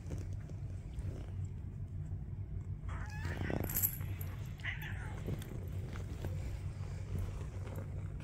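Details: Domestic cat purring: a steady, low, continuous rumble runs through the whole recording, with a brief higher-pitched vocal sound near the middle, indoors and close up.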